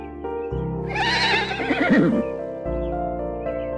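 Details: A horse gives one strong whinny, a rapid trembling neigh that wobbles and falls in pitch for about a second, heard over continuous instrumental music.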